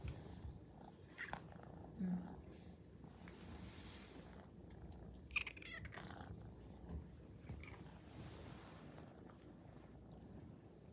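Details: A Maine Coon cat purrs steadily in a low continuous rumble as it greets its owner returning home, on day 330 of a daily greeting routine.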